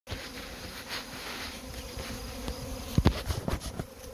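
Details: Honey bee swarm being collected: a steady droning hum with a low harmonic band, joined by bursts of low thumping and knocking around the third second.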